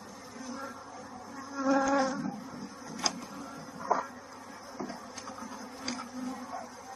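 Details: At a bee farm in Kanchipuram, Tamil Nadu, India, during a queen bee's emergence, honey bees hum steadily, with one brief, louder, tonal buzz rising out of the drone.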